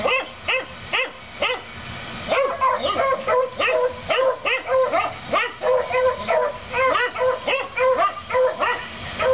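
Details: On 7 April 2014, dogs next door bark at their household rabbit, something that happens every day; a dense, nearly continuous string of quick, sharp barks, several animals overlapping, with a few higher yelps.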